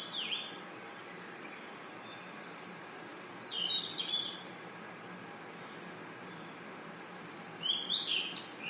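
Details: Crickets at night in a forest keep up a high, steady, continuous trill. A few short, sharp chirp bursts from another caller sound at the start, middle and end.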